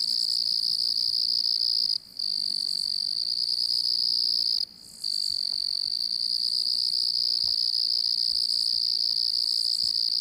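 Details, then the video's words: Cricket chirping: a continuous high shrill trill broken by two short pauses near two and five seconds, resuming at the same pitch each time. "Crickets distant and constant chirping sound effects"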